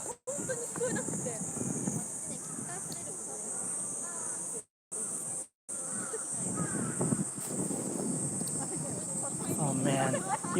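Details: Cicadas at Shibuya, Tokyo, on an extremely hot summer day before a typhoon keep up a steady, high, hissing drone under a man talking and city bustle.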